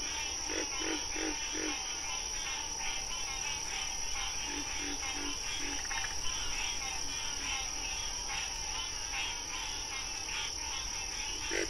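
A frog gives short, low croaks in quick bursts of three or four over a steady high hum.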